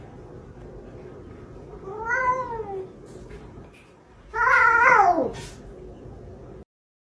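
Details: Domestic cat meowing twice in a compilation of funny cats and kittens: a short arched meow, then a louder, longer meow that falls at its end, over a faint steady hum.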